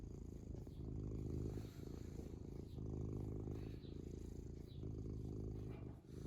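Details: Happy domestic cat purring contentedly: a continuous low rumbling purr with steady pulsing texture, swelling and easing with each breath in and out, with brief softer dips between breaths.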